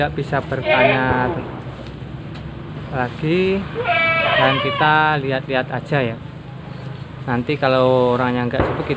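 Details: Goats on a farm in Nglebeng village, Konang, Panggul, Trenggalek, in a herd of 25 with 21 males raised for Qurban: wavering, quavering bleats in short bursts, with a man talking throughout.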